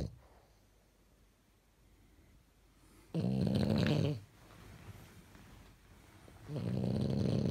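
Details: Sleeping French Bulldog dressed in pyjamas snoring indoors; after a quiet stretch of soft breathing, a harsh rattling snore lasting about a second, then a fainter exhale and another rough rumbling snore starting.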